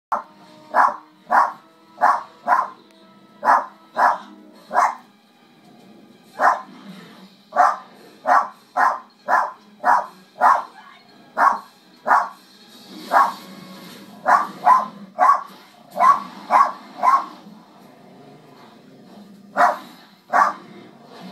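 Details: A dog barks at wolves in quick, sharp bursts, about two a second, with a few pauses.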